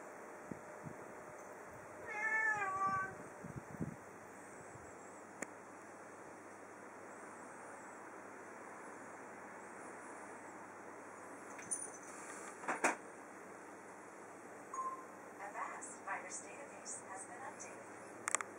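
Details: Domestic cat indoors, exploring a room after being given dried silvervine; a short series of rising-falling meows near the start, then quiet rustling and faint clicks and knocks later.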